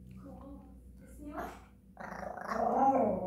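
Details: Japanese Chin singing indoors: after soft murmurs, a loud drawn-out warbling, growly howl rises at the end, rich in layered tones and wavering throughout.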